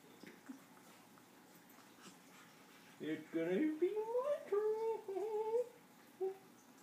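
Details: Buster, a pet capuchin monkey playing, biting and being affectionate with his owner indoors, gives about three seconds of squeaky, rising, tonal chirps and squeals in quick succession, with a man's playful voice before and after.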